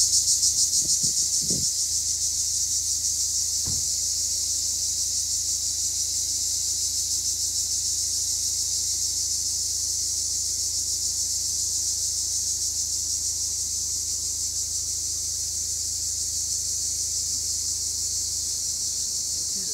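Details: Cypriot black cicadas calling: one continuous, steady, high-pitched buzzing drone that holds level for the whole stretch without a break, with a few soft knocks near the start.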